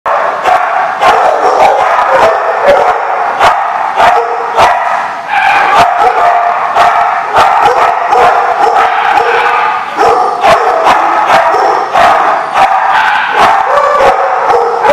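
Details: Many dogs barking together at once, recorded 5/11/15; sharp overlapping barks and yips come in a dense, nearly unbroken chorus, with several louder individual barks standing out over a constant din.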